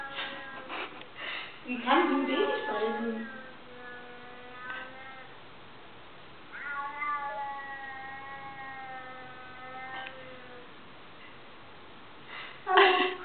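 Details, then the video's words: A chubby white cat making peculiar sounds: drawn-out harmonic meows, some falling in pitch, others long and level near the middle, with a sharp cry at the end; a person talks in German with music in the background. "chubby white cat making peculiar sounds"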